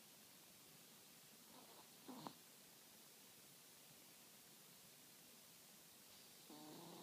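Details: Sleeping Chihuahua snoring indoors: a faint, low nasal rasp near two seconds, then a steadier wheezy snore beginning at six and a half seconds, with quiet background hiss between the breaths.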